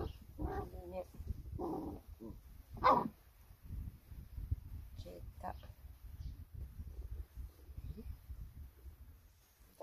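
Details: Rhodesian Ridgeback at a breeder's, giving a few loud, sharp barks in the first three seconds, spaced about a second apart, then quieter sounds, with people talking throughout.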